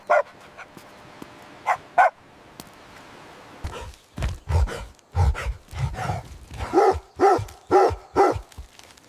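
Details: Puppies play-fighting on green grass: a few scattered high yips, then a dense run of rough, deeper barks and growly bursts, rapid and uneven, about two per second.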